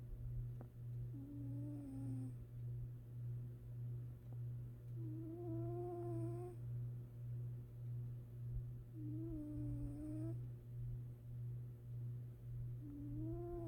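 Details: Napping house cat snoring softly while asleep. Four whistly, slightly rising breath tones come at irregular gaps of three to four seconds over a constant low droning hum.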